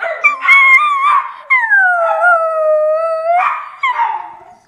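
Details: Miniature Schnauzer howls, starting other dogs howling too: a long, clear, tonal howl that slides down and levels off, framed by shorter wavering rising cries.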